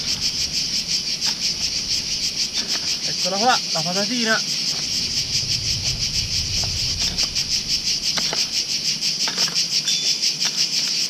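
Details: Cicadas keep up a steady, high, pulsing buzz on a very hot late-July day during a potato harvest in a vegetable garden, with a man briefly speaking over it.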